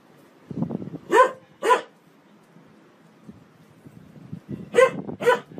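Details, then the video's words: Pet dog barking in pairs: two sharp barks, a pause of about three seconds, then two more, with low shuffling and rumbling noise around them. "Funny dog barking videos compilation"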